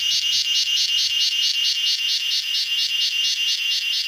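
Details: Cicada giving its evening concert in a garden: intense high-pitched buzz throbbing in even pulses, a little over two per second, with nothing else audible.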